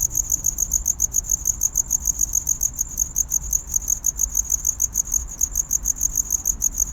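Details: A cricket chirps steadily to attract a mate in courtship, with rapid high-pitched pulses repeating several times each second.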